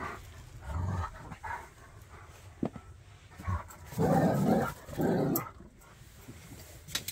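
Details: Jack Russell against Bernese: one brief low growl early, then two longer rumbling growls back to back mid-clip, with scattered clicks and rustle between.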